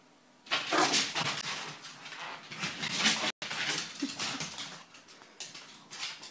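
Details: A pug, apparently thinking she has found a new friend, gives breathy, high whines and snuffling grunts in a small room.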